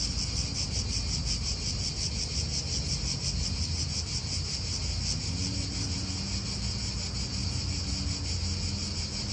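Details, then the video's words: Chorus of cicadas in a park in Italy: shrill, finely pulsed droning that never pauses, layered over a heavy low roar of wind and nearby cars, with a faint low hum joining midway. "italian park ASMR Cicadas wind real atmosphere in an Italian park birds"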